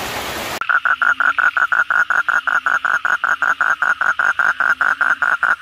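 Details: Asian common toad calling at night after heavy rain, one of many frogs heard: a steady series of short, harsh croaking pulses, about five per second, following a brief burst of hiss at the start.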